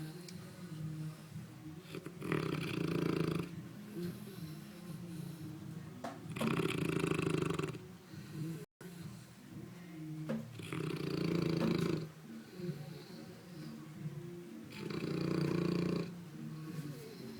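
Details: Ruffus, a pet St. Bernard, snoring while asleep: deep, rasping snores repeat roughly every four seconds, each a broad rumbling inhale, with quieter breathing between them indoors.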